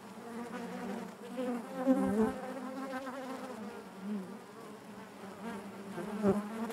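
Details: Inside a honey bee hive, a soft continuous droning buzz with rippling harmonics, gently pulsing, with a couple of louder close passes and faint tapping.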